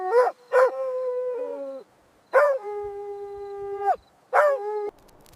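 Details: Playful puppies with baby rabbits on green grass; three yelping onsets each stretching into a long, level, harmonic whine lasting over a second, separated by short silences.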